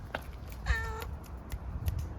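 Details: Hungry grey furry stray cat living on Istanbul streets utters one clear tonal meow of about half a second, bracketed by a person's soft Turkish talk and faint clicks.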